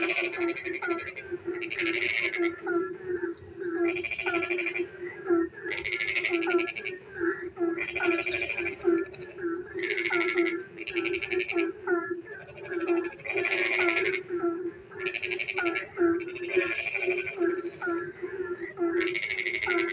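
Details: Rainy-night frog chorus from a village: pulsed, rasping croak bursts repeat about every one to two seconds across the whole stretch, interspersed with short chirped notes and a steady low hum.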